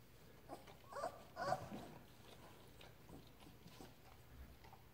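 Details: Labrador Retriever puppy Ripley, learning to walk and starting to play with its mother Halia, gives a few short whimpering squeaks around the first two seconds, then quiet room noise with a low steady hum.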